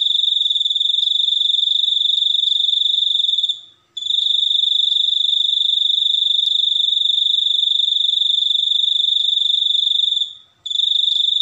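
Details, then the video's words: High, rapidly pulsing cricket trill that holds steady for several seconds at a time, broken by two short pauses before starting again at the same pitch. "suara jangkrik super unik"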